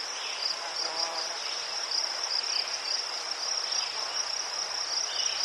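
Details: Crickets in Ukraine, among chrysanthemums, keep up a steady high shimmering trill with a continuous pulsing band of chirps and no pauses, with faint softer chirps lower down.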